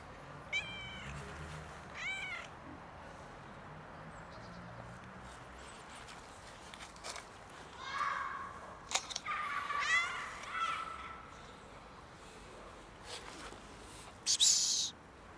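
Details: A cat outdoors in freezing winter cold, struggling for food and warmth, gives two short harmonic meows early on, then a run of longer, louder, wavering meows midway, with a low hum underneath and a sharp clatter near the end.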